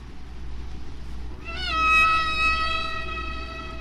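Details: One humpback whale singing near Bermuda in spring, recorded by hydrophone and heard at natural speed and pitch: after a quiet start, a long, clear, squeaky high tone with rich overtones slides slightly downward and holds, over a steady low hum.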